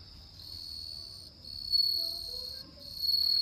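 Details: Bell cricket singing on an autumn night: a steady high, ringing tone that breaks off briefly and resumes, growing louder toward the end, with faint low footsteps and rustling underneath.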